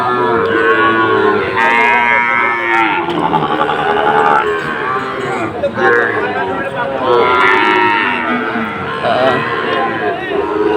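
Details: Sahiwal bull calves at a cattle market in Cumilla, Bangladesh, on 17 August 2024, several lowing calls overlapping in rough, harmonic moos rising and falling every couple of seconds over a steady crowd murmur and voices.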